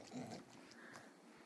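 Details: Wrigley, a bulldog doing tricks for food indoors, gives a brief low snorting grunt near the start, followed by faint rustling in a quiet room.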